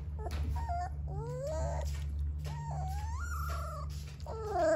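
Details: Three-week-old Dogo Argentino puppies whining: a run of high, tonal whimpers that rise, waver and bend, several overlapping squeaky cries in quick succession over a steady low background hum.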